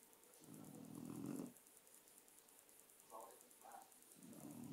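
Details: Murphy the dog napping and snoring: one long, low raspy breath, then two short higher snuffles and the start of another rough snore, over faint room hiss.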